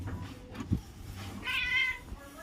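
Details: A domestic cat gives one short, bright meow that holds level and then falls slightly, while a person talks in Bengali nearby with thumps and room noise.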